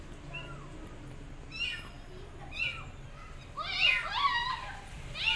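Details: Abandoned kittens on a gate meowing loudly for their mother cat; several high, arched, bright meows overlap, sparse early then clustered and louder near the end, over low background hum.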